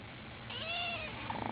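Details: Ginger kitten crying, one soft, high meow that arches up and then falls away, followed by a brief rough, crackly rustle.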